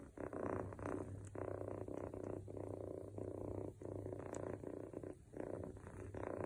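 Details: Male Scottish Fold Longhair kitten, born July 2021, snoring as a pet indoors: low rumbling breaths in steady pulses roughly once a second over a continuous soft purr-like hum.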